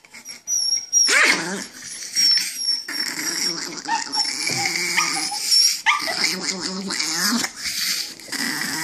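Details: An angry chihuahua gives a run of rough, raspy snarls and whining growls, each burst sliding up and down in pitch, broken by brief breaths between outbursts.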